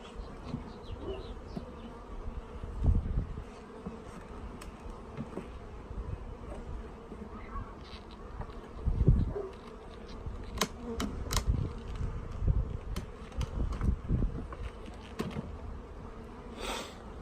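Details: Packaged honey bees being installed, the queen checked beside a fresh jar of syrup. Deep, steady buzzing drone throughout, with repeated thumps and clicks from handling the box.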